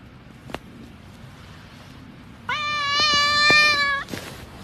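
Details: Domestic cat giving a single drawn-out, steady meow of about a second and a half with a bright, even tone, preceded by a faint click and a quiet background.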